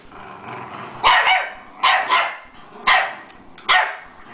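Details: Several rat terriers playing rough together, littermates among them; four loud, harsh barks spaced roughly a second apart, each with a growly edge, over a low background rumble of play.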